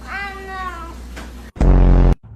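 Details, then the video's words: House cat producing one steady, drawn-out meow of almost a second against a quiet room hum, then cut off by a loud abrupt burst of noise. "Cats Making Illegal Sounds"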